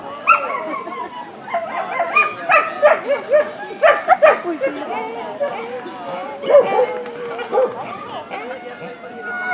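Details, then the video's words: Ibizan Hound (Podenco Ibicenco) at the Österbybruk dog show, 29 May 2016, producing quick bursts of high yelping barks mixed with whiny, tonal yips, several in close succession, then sparser ones; people talking in the background. "Ibizan Hound / Podenco Ibicenco"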